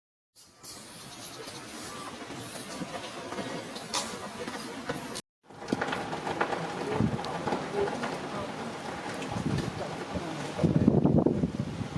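Broad rumbling noise with voices, like a passing train or vehicle, and no clear animal call.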